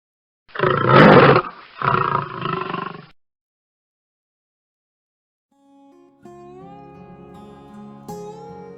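A lion gives two deep, rasping roars, followed by silence and then music.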